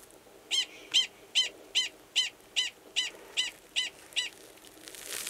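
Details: Mating call of a male Gunnison's prairie dog beside a burrow with an estrous female, Valles Caldera National Preserve, New Mexico, March 2017; ten loud, sharp barks evenly spaced at about two and a half per second.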